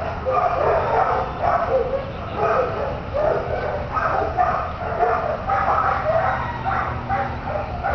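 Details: Dogs barking at North Central Animal Shelter: a dense, overlapping chorus of sharp barks repeating roughly every half second to second, several voices at once, over a low steady hum.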